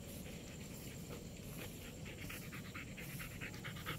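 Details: Small dog and big dog wanting to play at night; quick rhythmic panting, soft breathy puffs repeating about twice per second over a steady low background hum.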